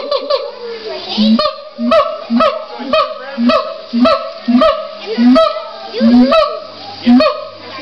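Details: Siamangs at a zoo give loud, honking barks, repeated roughly every half second in a steady series.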